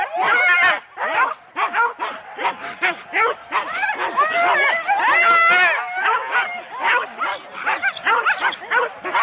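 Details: Rendlesham, January 2016, four-dog Husky teams starting a sled run: frantic barking and yelping from many dogs at once, bursts of high whining howls swelling mid-clip, then choppy barks continuing.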